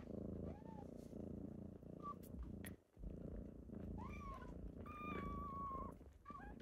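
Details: Kittens purring on a typical morning as they wake their owner: a steady, low, pulsing rumble runs throughout, broken by a short pause near three seconds, with several thin high mews over the top, one drawn out and level.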